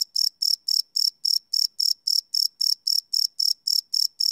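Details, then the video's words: Night crickets captured with a Sony PCM D100 field recorder, no loops: a steady train of shrill chirps, roughly four per second, evenly spaced and uniform in loudness against a silent background. "Cricket Chirp Sound - Cricket Sounds at Night"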